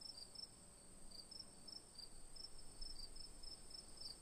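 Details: Crickets give sharp, high chirps in slightly irregular spacing, a few per second, over a persistent high hiss and faint low-frequency background.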